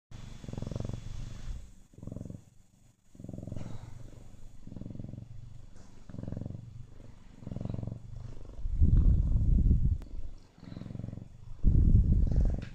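A Siamese cat gives a deep, rumbling purr in steady pulses, swelling louder toward the end.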